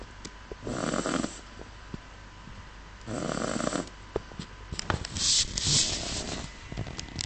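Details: Miniature Schnauzer snoring while fast asleep indoors: breathy rasping snores roughly every two to three seconds, each lasting under a second, the last ones sharper and hissier.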